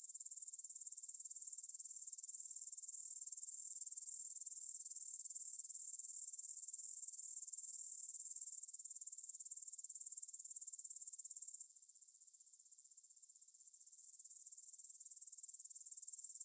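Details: Evening chorus of grasshoppers at 9pm, 6 September 2020, in a field by the Svensky monastery in Bryansk, Russia, captured with a Tascam DR-44WL. A continuous high hissing buzz swells louder, then steps down in volume twice.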